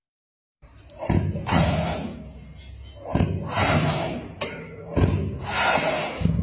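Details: Repeated heavy thuds and slams with muffled voices indoors, and no animal calling.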